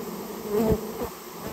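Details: Short burst of Japanese honey bee buzzing during removal of a colony nesting in a storehouse; a low hum swelling to a brief bright peak, with a soft knock just after.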